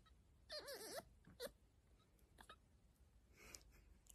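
A fennec fox gives a high, wavering whine that rises and falls, then short squeaky yips.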